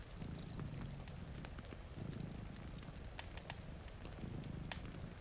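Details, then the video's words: Low, continuous purring from cats asleep before a rain-streaked window, rising and falling in slow breathing cycles. A crackling fire adds frequent bright pops, and steady rain patter runs underneath. "Purring Cat"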